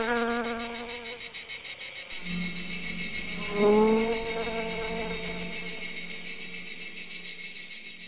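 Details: Rapid, shrill pulsed chirps of a cricket run continuously, about three and a half per second, over a lower sustained harmonic humming tone.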